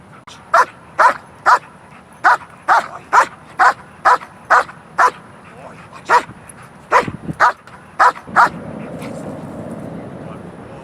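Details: Two domestic dogs trained to bark on cue at a ball, the first stage of teaching alerting and protection; about fifteen short sharp barks in irregular bursts, then a steady low rumble of background noise.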